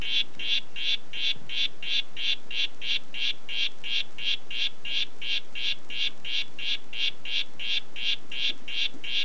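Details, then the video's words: "Red Head" harlequin poison frog giving a rapid, regular series of short buzzy pulses, roughly three per second, each note bright and slightly nasal, with steady low hiss beneath and no other voices. "Oophaga histrionica "Red Head" Ruf"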